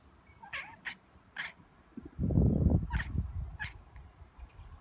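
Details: Caesar, a pet cat, talks to friendly magpies with a low, rumbling, grumbling chatter lasting about a second mid-clip. Harsh, scratchy magpie calls sound in short bursts before and after.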